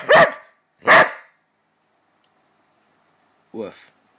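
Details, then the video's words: Border Collie reacting vocally while its owner counts down; two sharp barks under a second apart, then a quieter, shorter yelp after a long silence. "Gyps hates counting (silly border collie)"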